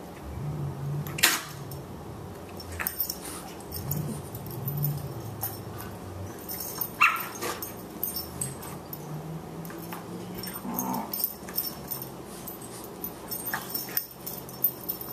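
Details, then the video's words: Play between two Boxers, young Margie at 14 weeks and the elder Louie: rumbling growls sweep up and down, broken by a few short yips and barks amid clattering, jangling movement noises. "Boxers at play"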